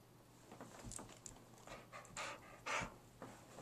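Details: Gracie, an 11-year-old husky mix dog that occasionally goes wacky and barks at nothing, pants in rapid breathy bursts, the loudest near the end, over a low steady hum indoors.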